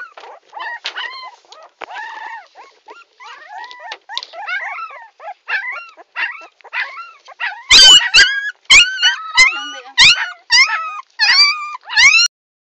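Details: Puppy named Tommy crying: a long run of high, wavering whimpers and yelps, arched and falling, coming in quick bursts that grow louder and sharper in the second half.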